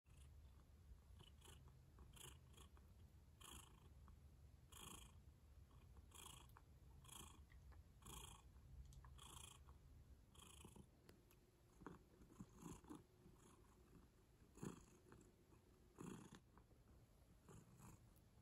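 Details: Domestic cat purring up close in a quiet indoor setting: a steady low rumble with soft breathy pulses roughly every 1.3 seconds, each inhale and exhale adding a faint hiss, and a few louder clicks toward the end.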